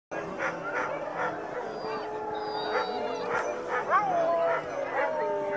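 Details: Sled dogs howling before dog sledding at Mont Tremblant: a chorus of overlapping drawn-out howls and yips from many dogs, one rising wavering howl standing out, with some voices in the background.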